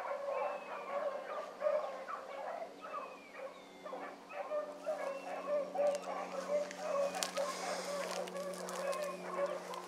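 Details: Young hounds running a rabbit in the morning, several pups giving continuous overlapping high yelping bays, a steady chorus of short repeated cries with a constant low hum beneath.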